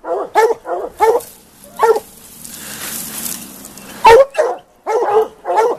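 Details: Plott hounds baying after tracking a big tom mountain lion: a run of short, gruff bays, then a hissing noise burst of about two seconds, then more bays in a quick, uneven string.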